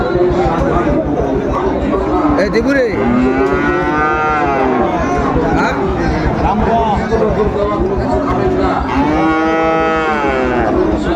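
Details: Sahiwal cattle at a crowded cattle market where a farmer from Kushtia is buying a bull, 16 January 2025; long harmonic moos rise and fall around seconds 3–5 and 9–11 over constant crowd chatter and voices.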